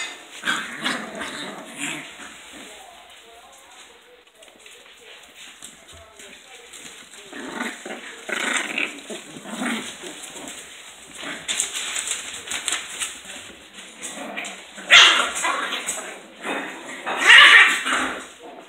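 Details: Sealyham Terriers, more than one dog, playing or fighting; rough, noisy growling and snarling bursts come irregularly throughout, growing louder with two harsh outbursts near the end.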